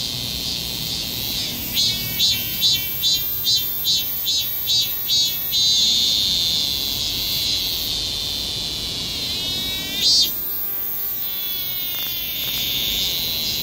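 A cicada sings in loud, pulsing bursts of shrill buzzing, then holds a steady high drone.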